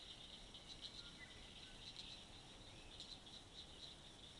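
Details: Pine woods tree frog calling: short bursts of rapid, high clicking pulses come in clustered groups, standing over a steady high hiss.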